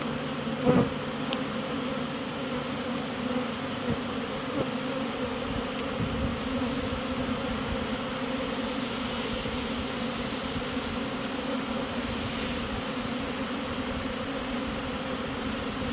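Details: A Western honey bee swarm, being caught and marching into a new hive, hums steadily in a dense, unbroken low drone from many wings at once.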